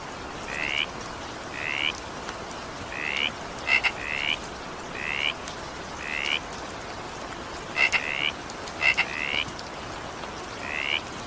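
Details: Frog chorus in evening rain, with brief upward-sweeping notes repeated roughly once a second and occasional crisp double-click notes mixed in, all over a constant wash of falling rain.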